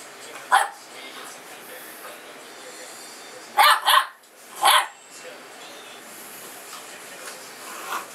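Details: Young female Mastiff/Boxer mix puppy barking during play, 'speaking out against authority': a sharp single yip, then a quick pair of barks and one more bark, with a quiet room between them.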